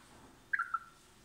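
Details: Two chipmunks: a female gives a brief mating call of three quick, clipped chirps in under half a second, the last slightly lower and thinner, while the other seems frightened rather than receptive; faint hum underneath.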